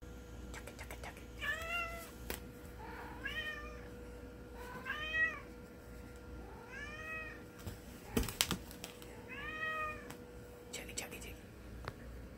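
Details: Domestic cat known as Chocolate Cat, meowing indoors: five drawn-out, arched meows spaced about every one to two seconds, plus clicks and a brief clatter, with a steady low hum underneath.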